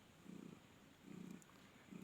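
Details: Happy domestic cat Flori purring while her kittens feed, at a cat market in Khalishpur, Khulna. Three deep, buzzy rumbles in quick succession.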